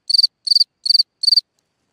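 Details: A cricket sings at night from its hole in the ground. Four crisp chirps come about 0.4 seconds apart, each a quick burst of four high pulses, with silence between them.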